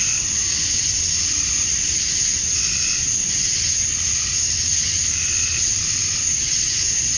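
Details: Summer dusk chorus of male cicadas in Georgia, USA, calling to attract females: an unbroken shrill, hiss-like drone that holds the same level throughout, with a few brief fainter chirps above it.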